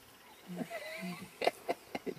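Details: Lion cub seen on a game drive at Sabi Sabi: a few low, short moaning calls with a brief rising whine, then four sharp, loud yelps spaced about a quarter second apart.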